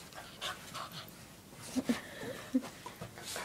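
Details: Two dogs playing together with toys; quick, rough, breathy panting with irregular snuffling bursts and a few soft whimper-like squeaks, with a person's voice nearby.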